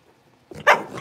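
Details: A single sharp, high-pitched bark from a litter of five blenheim Cavalier King Charles Spaniel puppies, born at New Year and just moved to a bigger pen, preceded by soft rustling indoors.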